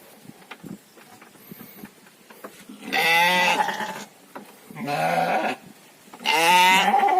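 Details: Farmed domestic sheep (domba, kambing gibas) kept for fattening: three loud, harmonic bleats about a second long each, coming roughly every one and a half seconds, with faint knocks and low background noise between them.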